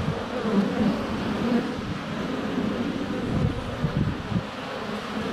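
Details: Honey bees swarming close around a GoPro Hero 7 Black set under a foot from the hive entrance in sunny February weather; constant deep buzzing with short louder passes and soft thumps, against a breezy noise bed.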